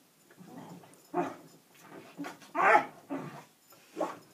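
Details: Springer Spaniel indoors, searching down the sofa for something that isn't there: a run of whiny grumbling whimpers and short muffled yelps in uneven bursts, the loudest near the middle, with quiet gaps between.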